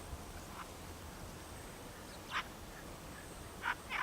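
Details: Red fox of the subspecies Vulpes vulpes kurdistanica, recorded at Bismil in 2016: four short, harsh, hoarse barks, spaced irregularly, with the last two close together, over a steady low rumble of background noise.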